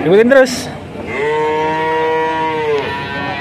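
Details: Male calf at a cattle market in Grabag, Magelang regency, Indonesia, where a buyer took 19 head at once. A long, steady, level moo holds for nearly two seconds, then drops off; a short rising voice-like sound comes first.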